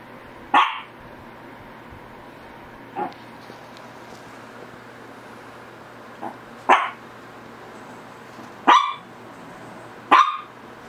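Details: Shih Tzu barking indoors: five sharp, bright barks spaced irregularly over about ten seconds, each a short burst, with two fainter softer yaps between them and a low steady hum beneath.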